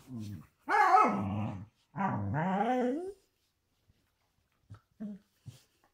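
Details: A corgi indoors in a small room makes drawn-out, wavering whiny vocalizations, two long grumbling moans of about a second each, followed by a few short soft yips.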